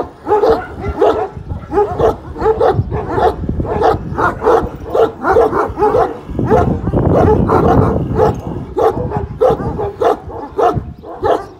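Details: Pars, a one-year-old Kangal at a Kangal dog farm, confronts the giant dog Samuta with loud, rough barks repeated about twice a second. A denser stretch of overlapping barking comes near the middle.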